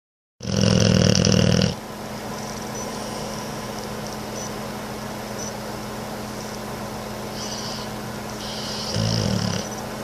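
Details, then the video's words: Boxer dog snoring loudly while awake and looking around; a loud, low rumbling snore for about a second and a half, then quiet hum, with a brief second snort near the end. "Boxer snoring loudly, while awake!"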